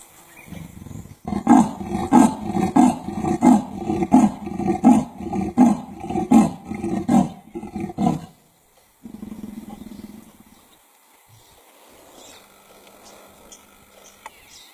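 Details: A female leopard gives a rasping sawing call, harsh strokes repeated roughly every second, then waits for an answer but gets no response.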